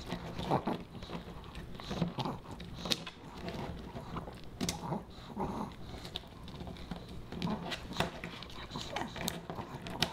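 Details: Pomeranian puppy Boba Bear munching fish and chips made dog-safe; soft rhythmic chomps roughly every second or two, mixed with sharp clicking crunches and moist mouth noises.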